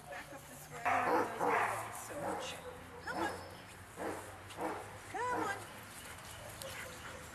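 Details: Large dogs barking during a walk: a series of short, arched barks spaced roughly every half second to a second, mixed with background voices.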